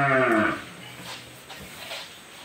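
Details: Cow moos during a sudden calving in the dark of night: one short, deep, harmonic-rich moo in the first half-second, then only faint room noise.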